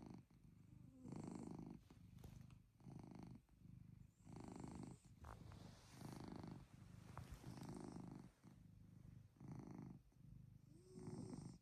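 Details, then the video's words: Pet cat Chloe's motor-like snoring on a cozy night indoors, a steady rumbling purr repeated with each breath, roughly nine low bursts separated by short pauses, with faint soft clicks in the background. "Chloe’s Motor Snoring"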